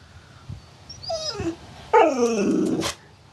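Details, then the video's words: Pet dog producing weird, talkative noises: a short high whine falling in pitch, then a longer, louder moaning vocalization that drops and wavers with a rough growly edge, set against quiet indoor background. "Funny Dogs' Noises!"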